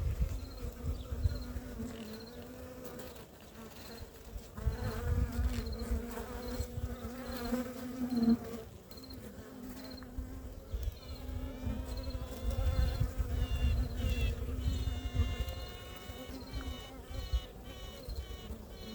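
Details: During queen introduction to a colony in Ankara on 2 May, a green-marked honey bee queen pipes now and then in drawn-out tones over the hive's steady buzz, piping to announce herself and win acceptance.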